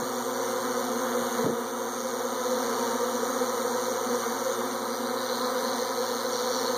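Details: Honey bee swarm in flight: a thick, unbroken droning buzz of many wingbeats, with a single brief thump around the middle.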